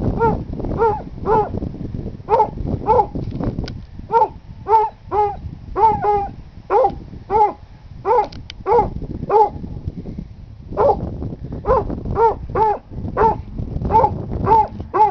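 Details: A small, very skinny Basset Hound up for adoption at a shelter in June 2011 barks in a steady run of deep, harmonic, baying barks, about two each second.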